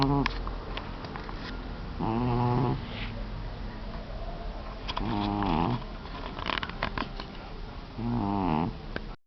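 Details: Sleeping orange tomcat, the youngest and most cuddly of the family's cats and its champion snorer, produces three rhythmic, grating snores roughly three seconds apart, each a short harmonic rasp, with faint clicks and low room hum between.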